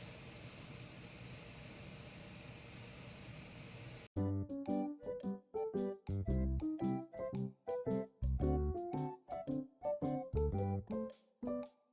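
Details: Low steady hum for four seconds, then plucked keyboard music with separate repeated notes to the end and no animal sounds.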